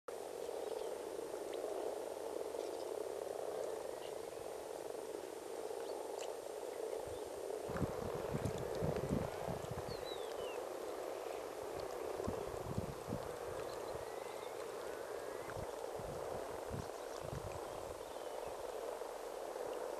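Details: Frogs gathered at a pond at Sandyhill, Westport, during the annual spawning, among long grass and rocks. A dense, continuous low purring chorus of many frogs runs throughout, with bursts of rustling or handling noise in the second half.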